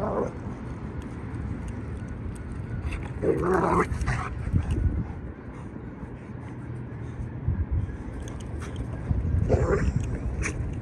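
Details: Female Rhodesian Ridgeback playing with another dog at a dog park; short barks and whimpers burst out near the start, around three to four seconds, and again near ten seconds over steady low rumbling background noise.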